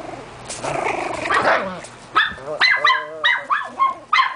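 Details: Miniature pinscher household with Sable's litter of four 4-week-old puppies: a woman's cooing talk to a puppy gives way to a run of sharp, repeated barks about every half second from a dog, one dog being named Austin.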